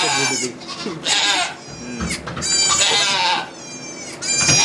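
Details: Birth of two baby goats at a Quebec sugar shack, Canada, captured with an iPod Touch: loud, strained, high-pitched bleats in several long quavering bursts separated by short pauses, with faint human voices behind.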